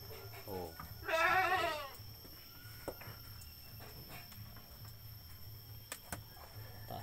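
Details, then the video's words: Sacrificial billy goat gives a brief low bleat, then a loud, wavering, quavering bleat lasting under a second, with men's voices and faint knocks around it. "kambing bandot Qurban super"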